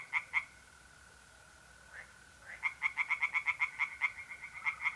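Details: Tree frogs in a pond on a mid-April night in north-east Italy: two croaks, a pause filled by a mole cricket's steady trill, then a quick run of about a dozen rhythmic croaks.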